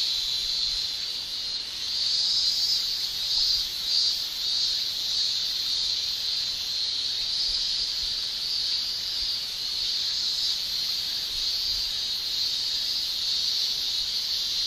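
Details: Male cicadas shrilling in a Japanese summer, a constant high buzzing wall of sound that briefly swells louder early on, then settles into an even drone.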